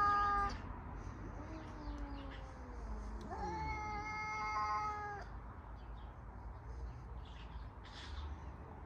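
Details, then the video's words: Cats in a confrontation between two, one a white and black male: a long, drawn-out, wavering meow sliding downward, then a loud, steady, higher yowl held for about two seconds, recorded on a phone. "Cat Meowing Loudly"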